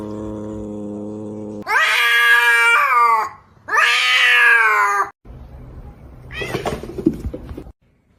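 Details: Cat wailing in two loud, long, harsh meows of about a second and a half each, wavering in pitch. A low electrical hum comes before them and a noisy clatter follows.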